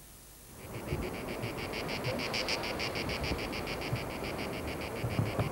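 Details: A cicada in France, recorded in 1995, sings a rapid, buzzy pulsing song with several shrill pulses each second.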